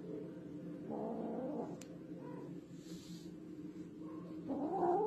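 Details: Domestic cat giving low, drawn-out yowling meows, one wavering cry early and another rising cry at the end, over a steady low background hum.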